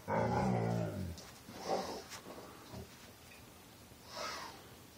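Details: Deep, drawn-out moan from Rocky, a pet dog rolling on his back, a low harmonic groan of about a second, followed by softer breathy sounds and a faint later murmur indoors.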